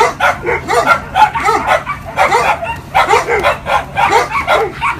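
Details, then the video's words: A dog greeting its owner after a long separation, giving a fast, continuous stream of high-pitched whining yelps and yips in short bursts, some rising and falling, over a faint steady hum. "Dogs Meets Their Owner"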